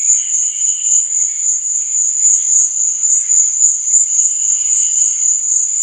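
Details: Cricket chorus at night: a dense high-pitched trill pulsing continuously, while gentler lower chirps surface briefly at the start and near the end.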